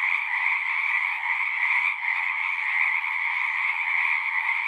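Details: Massed frog calls in a steady trilling chorus with a high buzzing band over a lower one. A brief slight dip in loudness comes near the middle, then the drone resumes unchanged.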